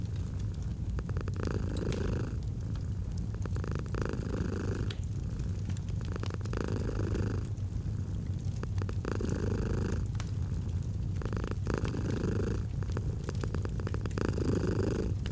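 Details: Domestic cat purring near a crackling fireplace, the low throaty rumble pulsing with inhale and exhale roughly every two to three seconds, accompanied by steady pops and crackles of the fire.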